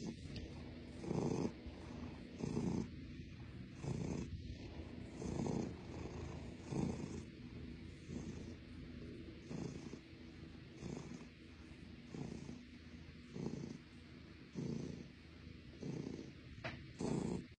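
A Russian Blue cat purring steadily, a low rumbling pulse rising and falling with each breath.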